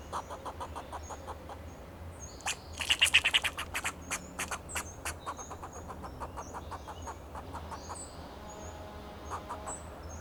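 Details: Fox squirrel on a Monterey pine in Del Monte Forest, California, giving alarm calls to protect itself and its territory: rapid sharp clicking chucks, about three per second, loudest in a burst near the middle, with thin high bird chirps and a low steady hum behind.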